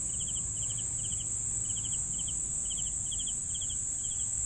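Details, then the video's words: Crickets chirping for sleeping: short, bright three-pulse chirps repeated about twice a second, set against a steady, piercing high-pitched insect whine and a faint low rumble. "CRICKETS SOUNDS for SLEEPING"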